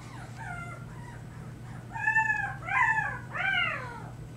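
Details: Female puppy Harry making her lion cub noises in the middle of the night, March 2008; a series of rising-falling whining yelps, faint at first, then three louder arched cries in quick succession, over a low steady hum.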